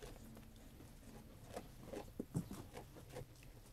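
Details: Sheep eating food, heard as quiet chewing with rapid, uneven crunches about two or three per second, a few sharper bites near the middle, against a low hum.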